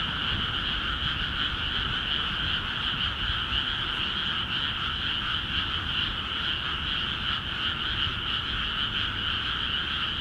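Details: Frogs calling en masse in rice paddies in Akiha Ward, freshly flooded with water: a dense, unbroken chorus of fast pulsing croaks stacked in a middle and a higher band, steady throughout, over a low rumbling background.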